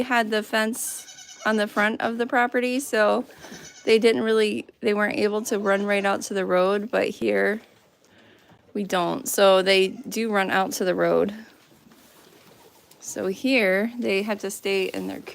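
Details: Goats on a farm bleating over and over in loud, quavering, nasal calls, each with a shaky vibrato, coming in bursts separated by short pauses of near silence.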